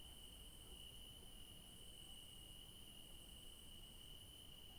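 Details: Crickets in a garden in the evening give a steady, high, unbroken trill over a soft low rumble.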